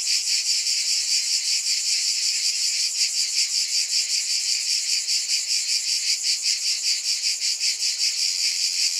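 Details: Massed cicadas keep up an intense, high, sizzling drone that beats in fast regular pulses and grows slightly more pronounced toward the end.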